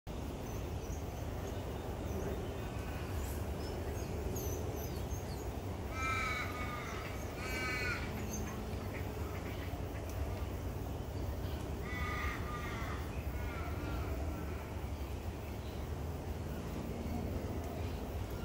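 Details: An African wild dog pack feeding on a kill in Africa in February 2020 gives short, high, bird-like twittering chirps in bursts over steady low rumbling noise.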